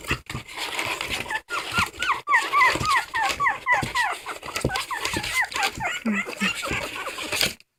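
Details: Crying dog producing a fast run of short arched whimpers, several per second, rising and falling in pitch, with a background voice and crinkling handling sounds.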